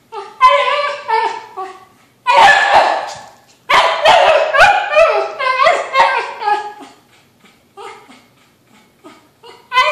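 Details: Kimchee, a whippet mix, pleading for a balloon with bursts of high, wavering whines and yelping barks. Loud clusters stop and start, separated by short pauses, and people laugh in the background.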